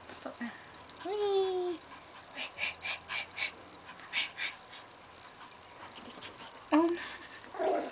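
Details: Cookie, a Pomeranian puppy, gives a brief high whine that slides downward, then short bursts of human speech and a sharp yelp near the end, indoors.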